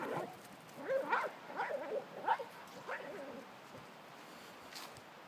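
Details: Pembroke Welsh Corgi playing with and chasing a jolly ball horse toy, pushing it around: a run of short, high whining yips, about five within two seconds, then fading to quiet with a person talking to the dog.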